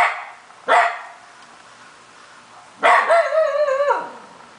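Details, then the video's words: A Shiba Inu that never barks, and has recently started howling, gives a short sharp yelp, then a brief wavering howl that holds steady before dropping away. "Shiba Inu Call of the Wild!"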